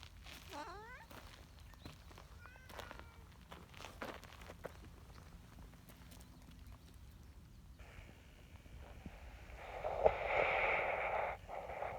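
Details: Large black community cat, a neutered outdoor cat, meowing happily as it is approached. Two short, rising-then-falling meows come early, followed by footsteps, rustling and a loud noisy burst near the end.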